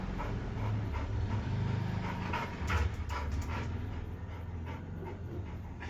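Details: Rhythmic breathy puffs from a panting Labrador Retriever, a little uneven in pace and louder near the middle, over a constant low droning hum.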